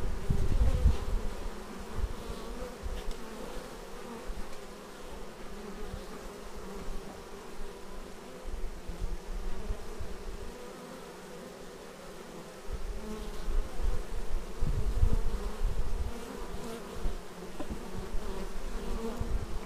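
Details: Many bees arriving at a beehive make a thick low hum, loud at first, quieter through the middle, then swelling again with close passing buzzes after about twelve seconds; action-camera raw recording.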